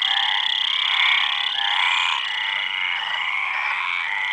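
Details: Frogs calling together in a dense, unbroken chorus of overlapping croaks and trills, a steady wall of sound that holds throughout and eases slightly after the second half, with no other sounds standing out.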